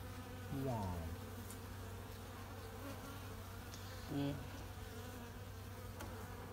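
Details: Western honey bees buzzing inside a mini mating hive while the queen is checked in the longan blossom season: a constant low hum, interrupted twice by a man's brief exclamations.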